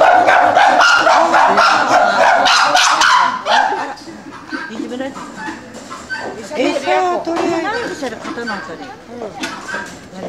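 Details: Captive chimpanzees at Asahiyama Zoo, Japan, in the old chimpanzee house on 9 May 2005, scrambling for food scattered on a ceiling net while one is scolded. Loud, harsh screams with strong harmonics fill the first four seconds, followed by people talking.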